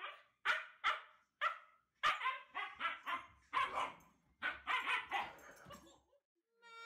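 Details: Domestic husky giving a run of sharp, clipped barks and yips. Single punchy barks at first, then clustered bursts roughly every half second, ending with a brief tonal whine.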